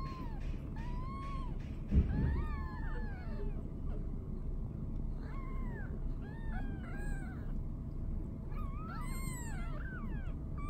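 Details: Kittens five days old with their mother cat Boo, Kitten Round Up 2019: a dense chorus of high, arched mews, many overlapping and rising then falling, coming in bursts through the clip over a steady low rumble.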